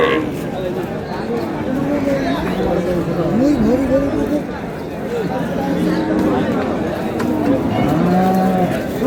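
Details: Cows and calves at Ambari cattle market: repeated low, wavering moos, some bending upward, heard among steady crowd chatter.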